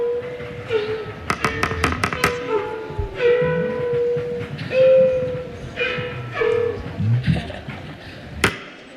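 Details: A walrus in the Arctic gives rapid sharp knocks and long, steady, horn-like tones over a low underwater rumble.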